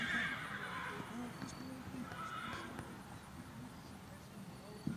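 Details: Tennessee Walking Horses unloaded at the Free Rein Stables annual trail ride, Tom, Oklahoma; a short high whinny opens the moment, then fades under steady human chatter and clip-clopping hooves.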